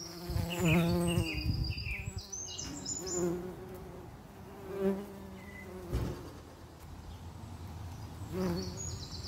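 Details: Common eastern bumble bee buzzing: a low, droning hum with stacked overtones, loudest in the first two seconds, then softer bursts that swell and fade every few seconds, with faint high-pitched chirps in the background.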